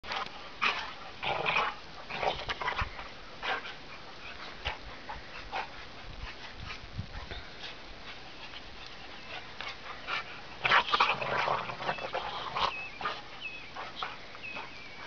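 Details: Two dogs, one an Irish Wolfhound mix, playing noisily while running full speed in blizzard snow on December 18, 2009; irregular bursts of grumbling, whimpering yips and scuffling, louder flurries near the start and around eleven seconds.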